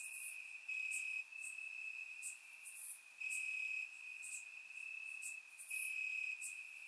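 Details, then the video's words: Crickets chirping in grass on a warm summer night in Bulgaria, recorded with a surround microphone: a steady high trill in long bursts with short gaps, while brief sharper chirps from other crickets flicker above it. "Cricket Sounds - Crickets Chirping at Night"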